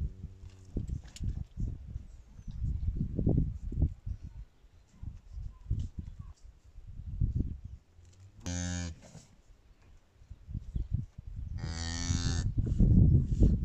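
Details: Red-brown cow in a Kazakh village giving birth on her own, recorded in a calving corner; a brief deep moo opens, then two louder, rough, harmonic bawls, the second longer, over low shuffling and thumping.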